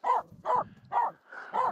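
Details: Female Finnish Spitz barking at two nearby reindeer on snow during a mountain climb up Mulen; four loud, evenly spaced barks about every half second, with a fainter yelp between.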